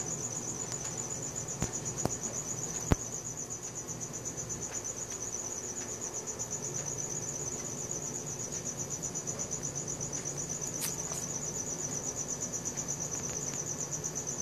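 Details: Crickets at night, recorded on a Samsung Galaxy S4: a steady high-pitched pulsing trill runs unbroken throughout, with faint low background hum and a few sharp clicks early on.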